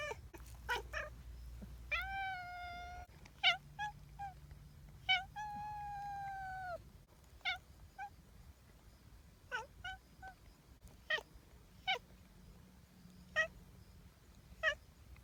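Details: Friendly outdoor community cat with two drawn-out meows of about a second each, mixed with many short sharp clicks and chirp-like notes and low hum in the background.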